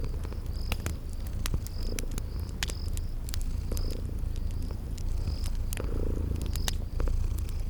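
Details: Purring from sleeping cats set beside a crackling fireplace in spring garden ambience. A continuous deep, throbbing purr fills the low end while frequent snapping fire crackles and recurring high cricket-like chirps sit above it.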